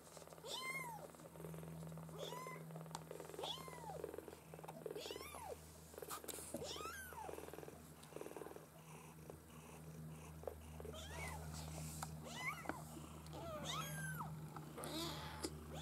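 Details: Maine Coon kitten litter from a breeding home, many overlapping high squeaky mews in quick succession, rising and falling arcs from several kittens at once, with clicks, rustling and a low steady hum.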